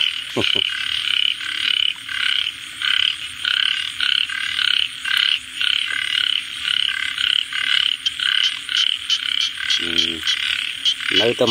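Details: Frog calling in steady bursts: short buzzy, pulsed croaks repeated about twice a second, each a rattling trill lasting a fraction of a second, with a constant faint hum underneath and two brief lower tonal sounds near the end.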